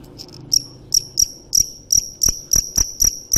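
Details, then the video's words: Field cricket (dế mèn) chirping: bright high chirps repeated about every third of a second after a few softer opening notes, with faint low knocks and thuds beneath. "Tiếng dế mèn hay nhất 2017 - The crickets - Cricket"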